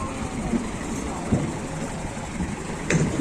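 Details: Steady low engine rumble like an idling vehicle or train fills the recording, with a few faint knocks and a brief higher hiss near the end, and no animal voice.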